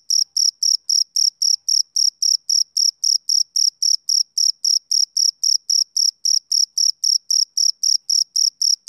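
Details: A male cricket chirping on a summer evening, a fast, regular train of some thirty-four thin, ringing pulses near four per second, each equally loud, with a silent background.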